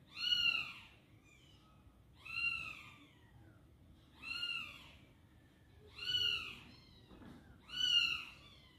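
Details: Mother cat, a house pet, struggling to carry her kitten in a box, gives five evenly spaced, bright arched meows about every two seconds, each clear and harmonic-rich over a quiet background.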